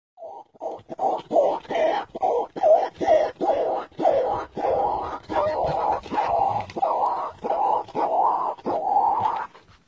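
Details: Peccary grunting in a steady run of about fifteen short, hoarse, rough bursts over ten seconds, each a low guttural pulse separated by brief gaps, with no other clear sounds.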